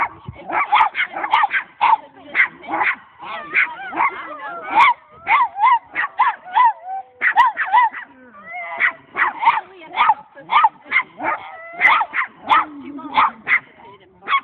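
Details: A domestic dog meeting two new dogs, changing her unfriendly greeting bark into a howl, her idea of singing, and a high-pitched play bark; dense bursts of rapid yelping barks, a brief sliding howl, then further quick barks.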